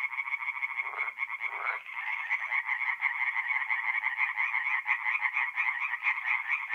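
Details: Mid-April night chorus of tree frogs at a forest pond in north-east Italy: overlapping high, rattling pulsed calls run on steadily, with a couple of short lower croaks early on.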